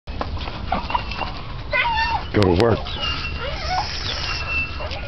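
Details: American Bull Terrier named Eve playing on a spring pole; a strained, whiny vocalization with a short harsh burst near the middle, over steady background noise and people talking.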